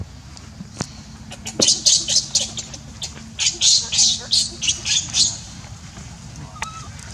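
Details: Baby monkey named Leo, hungry and begging its mother for milk, gives a run of shrill, harsh screeching cries in quick bursts, about a dozen in under four seconds, with faint clicks and background murmur.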